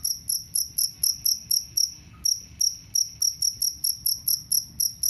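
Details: Jangkrik kalung cricket, kept to drive away rats, chirping loudly and steadily: sharp, high, metallic pulses about four per second, with one brief pause, over a faint low background rumble.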